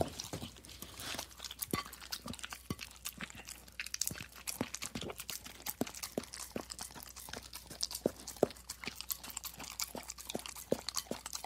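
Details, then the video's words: Steady plate licking by a dog, a long string of sharp smacking clicks and wet tongue strokes repeating several times a second, recorded close in a small room. "Dog Licking Plate"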